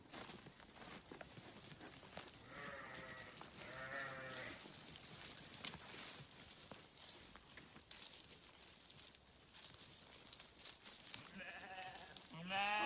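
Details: Grazing farm sheep with two short bleats near the start and another rising bleat at the end, separated by a long stretch of hissy background rustle and clicks.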